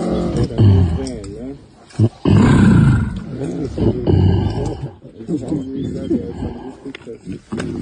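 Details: Two silverback mountain gorillas in Rwanda fight over which way their family of 19 should go into the forest, roaring and screaming harshly, deep bursts rising into ragged wavering cries.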